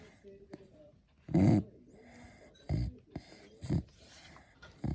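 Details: Snoring from a Beagle: a few loose, low rasping snorts spaced unevenly over several seconds, separated by softer breathing.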